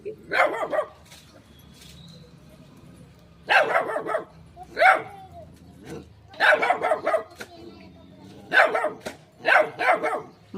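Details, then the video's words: Small dog barking repeatedly at a shy cat: about seven short, sharp barks, some in quick pairs, spread across the recording, with soft Marathi speech between them. "little dog barking"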